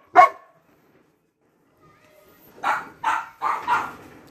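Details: Belgian Malinois given a carabao horn, recorded April 1, 2021: one sharp, loud bark at the start, followed by quiet and then a man's voice saying 'no' and praising the dog.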